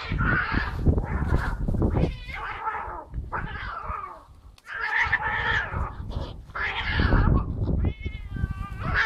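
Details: Larry, a young cat trained to walk on a leash and brought by car to southern Italy, meows repeatedly in quick succession, whiny harmonic cries over a low rumbling background, a higher clear meow near the end.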